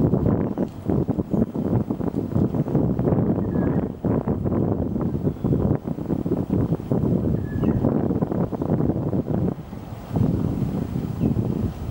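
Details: Steady wind rumble buffets the microphone throughout, with no animal calls to be heard.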